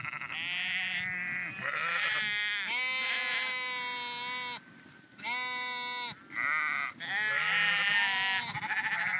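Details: Flock of sheep on the move along the Porrenkoogdeich near Husum in Nordfriesland, giving loud overlapping bleats, long quavering baa calls from several animals, nearly continuous with short gaps.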